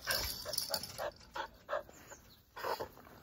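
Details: Young Jindo dogs from a family living in Seongju, North Gyeongsang, South Korea, give short, high yelping whimpers in irregular bursts, about eight sharp yips within three seconds, with quiet gaps between them.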